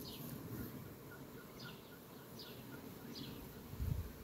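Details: Honey bees flying among sunflowers on a farm on 18 July 2021: a steady low droning hum fills the background, overlaid by short high descending chirps repeating roughly once a second, with a brief louder buzz near the end.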